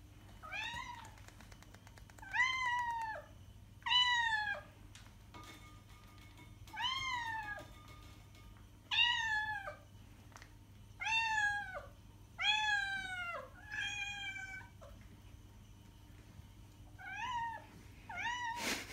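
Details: A cat's meows, used to lure cats, ring out again and again: about a dozen clear falling meows spaced every one to two seconds, rich in harmonics, over a faint constant hum and a brief click near the end.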